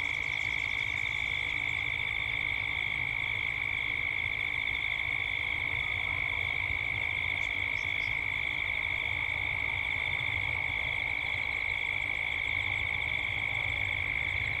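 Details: A dusk cicada chorus in Gippsland, Australia, with birds heard as evening comes on. The shrill, continuous buzzing pulses rapidly without a break. Brief high chirps stand out near the middle, over a faint low rumble.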